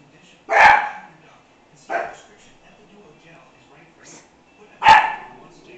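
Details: Young American Hairless Terrier reacting to its owner's reflection in a mirror: three loud sharp barks with a quieter yip between, separated by pauses of over a second, in a quiet room.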